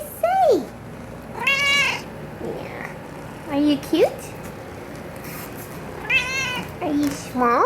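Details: Cat meowing repeatedly, with several clear meows: some rising and falling, some short and sharp, spaced one to two seconds apart, with a person's quiet voice in between.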